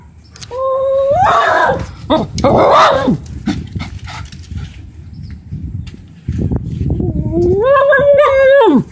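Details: Agitated Lhasa Apso indoors, hostile toward a black lab sharing the building, giving harsh, rough growl-barks early on, then one long, tense, wavering howl-like cry near the end over steady low room noise.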